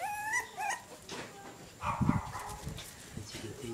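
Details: Jack Russell Terrier puppies: a few high, thin whimpering whines in the first second, each rising then dropping, followed by people talking and background music.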